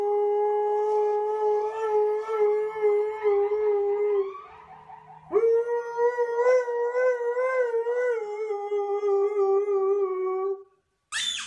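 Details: Pet husky making a dramatic fuss indoors while its collar is put on: a long, steady howl holding one tone for about four seconds, a brief dip, then a second wavering, slightly higher drawn-out howl, ending abruptly.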